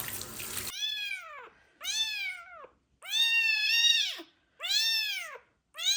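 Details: Abandoned street kitten with ringworm, found in a box, meowing loudly during its first medicated bath; five long arched harmonic meows, each about a second, after a brief burst of running water at the start.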